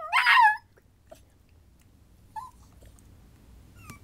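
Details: A Miniature Pinscher puppy learning to howl gives a short, high, wavering howl that slides downward, possibly alongside littermates.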